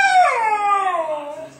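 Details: Kodiak, a four-month-old Siberian Husky puppy, talking back at home because he does not want to come downstairs: a single drawn-out harmonic howl that starts high, swoops down and trails off over under two seconds, between a person's coaxing calls.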